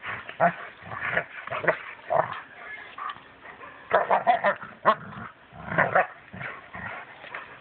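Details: Several Rhodesian Ridgebacks in Mombasa barking: sharp, throaty barks come in irregular bursts, with louder clustered volleys around the middle and near the end, separated by brief lulls.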